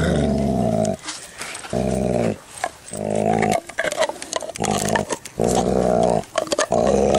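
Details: Dalmatian dog defending his chew bone indoors with loud, steady growls, six rumbling bursts of about a second each separated by short pauses, with faint clicks and movement noise around them.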